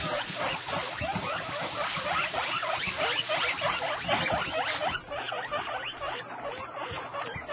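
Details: Guinea pigs giving a rapid, continuous run of short, rising squeaky calls, roughly three per second, lasting over seven seconds with a brief lull near the five-second mark.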